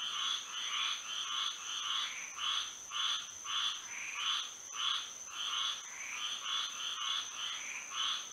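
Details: Frogs singing at night under moonlight in Florida, a dense chorus of pulsing, buzzy croaks overlapping in waves roughly twice a second, with a steady high insect-like whine above.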